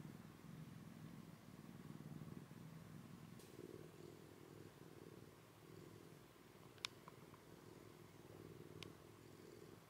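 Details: Rescued kitten Komugi, taken in from eastern Saitama, Japan, cuddling and sleeping with another cat for the first time; a continuous low rumbling purr throbs evenly through the room, with a couple of faint ticks.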